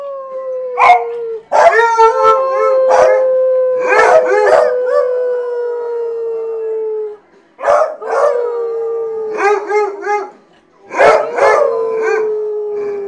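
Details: Several hounds howling together, riled up and quite musical: long sustained tones around mid pitch gliding slowly downward, broken by sharp barks and wavering yips, with short pauses between bursts.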